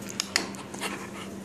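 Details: Two Australian Shepherds, a 3-year-old and a 7-month-old puppy, play together indoors after living together for only one weekend; quick breathy panting bursts mix with sharp clicking taps over a steady low room hum.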